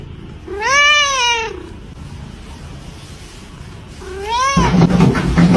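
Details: Domestic cat giving two clear meows: a long arched harmonic meow, a pause, then a shorter rising one cut off by a sudden burst of background noise.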